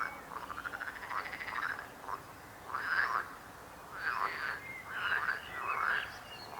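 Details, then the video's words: Loud frog croaking, a drawn-out rattling croak followed by separate harsh bursts about once a second, with a faint high whistle in between. "Rechot żab. Croaking frog sound."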